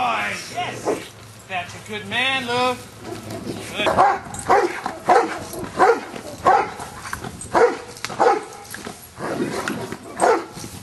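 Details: Luther the Giant Schnauzer works on Schutzhund stick hits, 25 April 2009. A human voice speaks briefly at the start. Then a long run of strong, evenly spaced barks follows, about one every 0.6 seconds.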